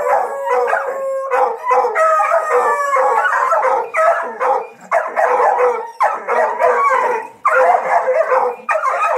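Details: Hunting dogs on a paca hunt howl and bay almost without pause, several voices overlapping in long wavering cries and sliding tones, broken by short yips; a high faint whine sits above.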